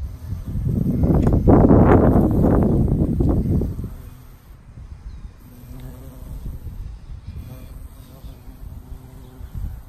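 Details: Female Valley carpenter bee (Xylocopa varipuncta) feeding on Mexican sage in a garden gives a loud, deep wing-buzzing drone that swells and then fades to a faint hum.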